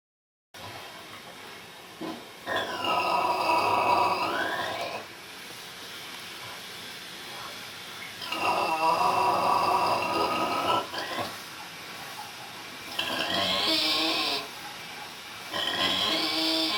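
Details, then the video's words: Sleeping Vietnamese pig snoring indoors: long raspy, wheezing breaths in slow irregular bursts, some whistling and rising, about every four to six seconds, with hissy noise between. "Vietnamese snoring pig"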